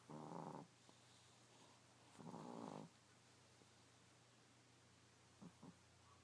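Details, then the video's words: Chico the Chihuahua snoring in his sleep: two rasping, buzzy snores about two seconds apart, then quiet breathing and two short faint snorts near the end; a low constant hum runs throughout. "Snoring Chico Chihuahua"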